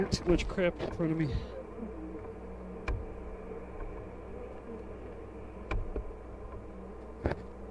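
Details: Droning honey bees during a hive inspection at The Mountain, the colony heavy with honey and the queen laying among brood. Brief talking opens, then an even low hum with occasional sharp taps.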